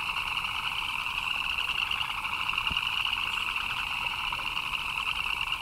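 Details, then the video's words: Frogs chirp without pause in the rain, their massed voices blending into a steady high trill above a lower buzzing band, with one short knock midway. "Frogs chirping in the Rain"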